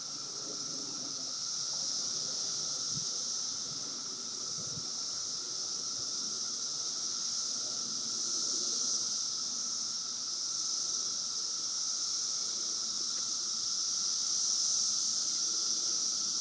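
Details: Periodical cicadas of a 17-year emergence surrounding listeners at Woodbridge, Virginia: a dense, continuous high-pitched hissing drone swelling slightly in waves, with a steady lower whining tone beneath and faint rustles.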